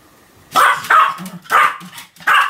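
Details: Continuous barking from Sam, a Pomeranian, recorded 7 October 2015: four rapid, harsh, high-pitched yaps packed into under three seconds, with low huffs between them.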